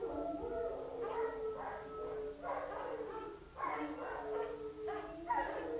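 A jackal gives a series of wavering, tonal howls, broken by short pauses.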